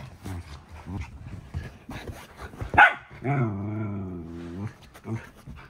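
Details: Playful growling from Shetland Sheepdog sisters, a three-year-old blue merle female and a bi-black puppy, mid play-fight: a low, rumbling growl held over about a second and a half after short huffs, a sharp yap, and a person talking.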